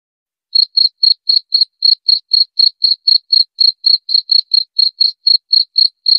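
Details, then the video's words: Cricket used as a rat-repelling sound: a steady train of short, shrill, high-pitched pulses at about four per second, evenly spaced and unchanging in pitch, with no other sounds. "Suara Jangkrik"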